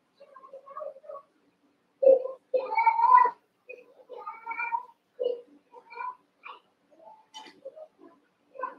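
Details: Eight Cavalier King Charles Spaniel puppies, about seven weeks old, wrestling and playing together in a barn puppy pen; a run of short, whiny, rising-and-falling yelps comes in bursts, with quieter squeaks between louder cries.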